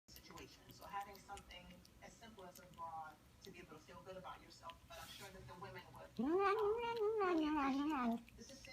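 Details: Female cat making noises while she eats: soft, quick murmuring chirps, then a loud, drawn-out wavering meow lasting about two seconds, with rising and falling pitch.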